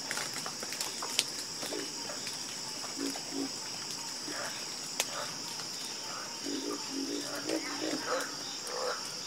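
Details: Chorus of frogs croaking, with scattered low grunting croaks that build into a quick series toward the end, plus sharp clicks and an unbroken high hiss behind.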